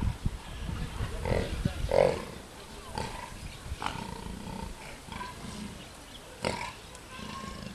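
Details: Captive jaguar father and cub at Attica Zoological Park, Greece, in a tussle the cub finally gives up; harsh, low growling bursts near the start, then softer rumbling sounds, with people talking in the background.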